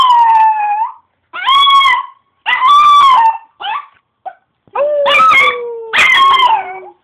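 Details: A pet Chihuahua gives a run of howls, each about a second long and separated by short gaps. The tones are strained and bending, often sliding downward at the ends, with a few brief yelping notes in between.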